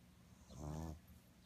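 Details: A sleeping pug gives one short, rasping snore: a low, rattling, buzzy breath swelling and fading within about half a second against a quiet indoor background.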